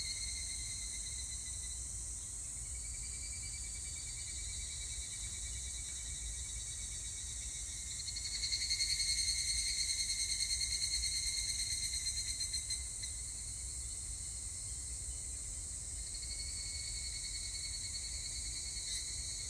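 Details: Evening cicada recorded on 25 July 2019: a constant high insect chorus, with a louder, rapidly pulsing phrase of about four seconds rising from it midway and then falling away to the steady drone.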